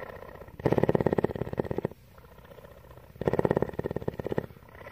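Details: Tawney, a female cougar living at CARE in Bridgeport, Texas, purring: two loud, rapidly pulsed rumbling bursts of about a second each, separated by a softer, quieter purring phase.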